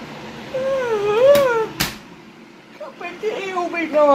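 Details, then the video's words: Rescue house cat in Cooktown, Queensland, Australia, begging for treats indoors. A long wavering meow swells and falls, a sharp knock follows, then a second rising meow builds toward the end over quiet human voices. "Cats - where are our treats"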